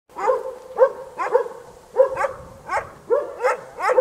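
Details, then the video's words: A dog barking at close range: sharp, mid-pitched barks about every half second, eight in a row, with short quiet gaps and no other sounds. "Dog Barking Close Sound"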